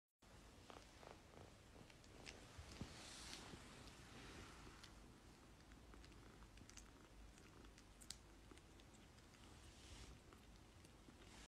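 A Bengal cat purrs steadily, a low continuous rumble with faint rustling nearby.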